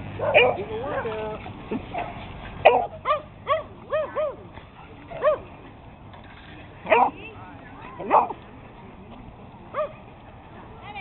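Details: Playful chase among six small dogs including beagles, a Chihuahua, a Boston, a Jack and a Puggle; bouncy upward-curving yips and barks come in scattered bursts with quiet gaps between.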